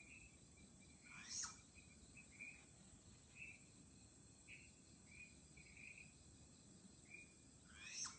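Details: A flying squirrel in Chunghsing New Village, Nantou, Taiwan, on 1 April 2018 gives short, high chirps every second or so over a steady insect hiss.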